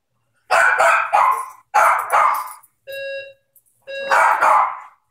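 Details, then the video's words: Maltese dog reacting to a ringing doorbell with loud, clustered yips and barks in two-to-three-note bursts, each roughly a quarter second long; steady doorbell tones sound in the gaps between bursts. "Cute Maltese howling"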